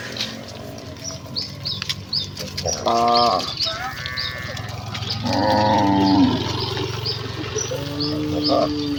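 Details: Herd of village cattle running excitedly to the pen in rural Indonesia; a few moos, one short and two longer lowing calls, over a steady rumbling background with scattered high chirps and noise.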